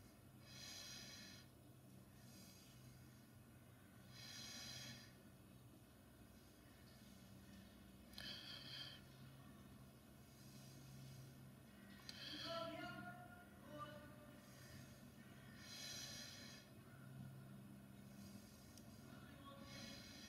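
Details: Resting Amur tigress lying relaxed mid-enclosure, letting out airy, noisy snorting breaths every few seconds, each a short broad rush of air, with a faint low background drone and a brief higher tonal sound near the middle.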